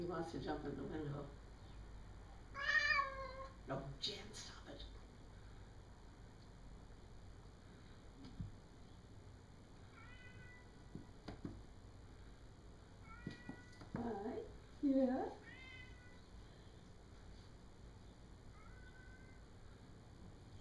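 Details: Cat outside a window looking into a dining area at Jan, another cat, and wanting to jump in the window; several short rising and falling meows scattered through, with human talking and household background sounds.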